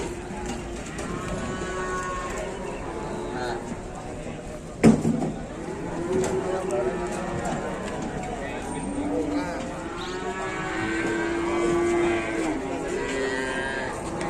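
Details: Cattle being unloaded from an overturned truck give low, drawn-out moos, one long steady call late in the clip, while people talk and shout nearby and a sharp knock sounds midway.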